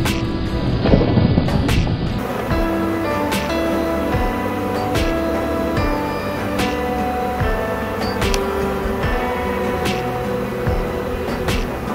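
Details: Steady instrumental music with sustained tones and regular percussive hits over a low rumble, and no animal sounds.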